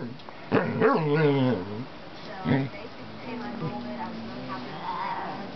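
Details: A Basset Hound gives a drawn-out, wavering howl-like vocalization, then shorter moaning calls, begging a cat that usually hits him for friendship.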